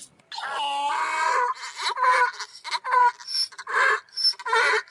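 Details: Donkey. A donkey gives a loud, harsh bray: it opens with a drawn-out moaning wail, then breaks into choppy, alternating wheezes and honks. Each gasp comes roughly once a second, rough and heavily overtoned.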